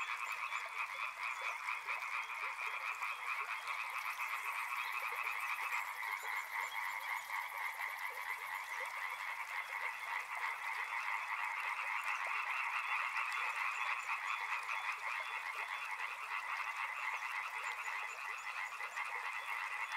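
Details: Dense chorus of frogs calling together beside a river, rapid overlapping croaks forming steady pulsing bands of mid and upper tones throughout, a thin high buzz joining briefly in the middle.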